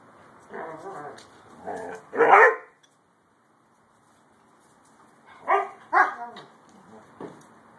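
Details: A Siberian Husky and a German Shepherd mix playing together; loud harsh barks and growly vocalizations come in bursts around two seconds, then a quiet gap, followed by another cluster of barks near five to six seconds.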